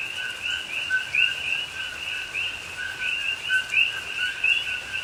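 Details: Rainforest coqui frogs in Pahoa, Hawaii, heard at night in rain in October 2021: a continuous massed chorus of two-note calls, low tone then higher upsweep, with three louder nearby rising chirps standing out.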